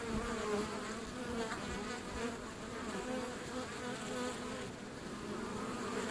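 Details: Steady, layered humming of many European honey bees at a feral hive along a river, heard up close at the hive entrance, with wavering drone tones rising and falling slightly.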